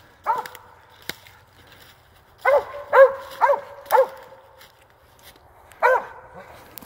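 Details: Hunting dog barking at a squirrel it has treed: six loud, hoarse barks with stacked harmonics, a single bark, then a tight burst of four about half a second apart, then a last bark, set against a quiet woodland background.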